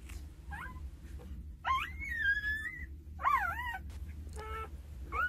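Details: Two-day-old Jindo puppies from a litter of nine, tended by their mother Sarang: thin, high whines that rise and bend, a long wavering squeal near the middle, then quick looping yelps and short squeaks, over a steady low hum.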